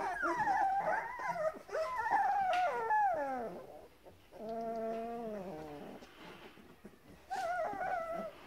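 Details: Whining from hungry Grand Basset Griffon Vendéen puppies, O-litter, 30 November 2015. Wavering downward-sliding whimpers, a steady drawn-out lower moan in the middle, then a fresh high whine near the end.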